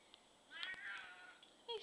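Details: Black domestic cat, a male that lived to 17 years, giving a drawn-out wavering meow indoors, followed by a short second call, with a person talking softly to him nearby.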